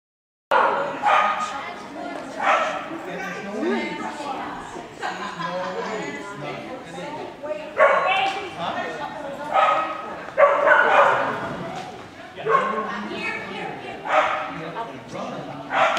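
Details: Sadie, a dog running an indoor CPE agility trial in Dexter, Michigan, on January 4, 2009, anxious, excited and doing zoomies; echoing bark-like bursts every one to two seconds, with voices in the hall.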